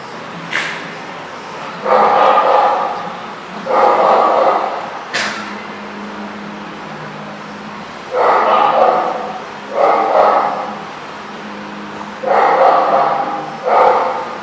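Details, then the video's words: Dogs at The Barking Lot in Rhode Island, recorded 24 February 2014, giving loud, reverberant bursts of barking roughly every two seconds, each about a second long, with sharp clicks and knocks near the start and a steady background hum. "The Barking Lot RI"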